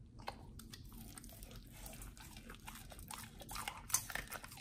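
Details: Pit Bull named nomyen eating a raw whole Thai duck for the first time, on a raw prey-model diet; soft irregular crunches and bites with quiet wet mouth sounds, a sharper crunch near the end.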